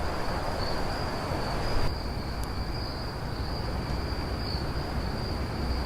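Crickets keep up a steady, high, unbroken trill over a low background rumble at night.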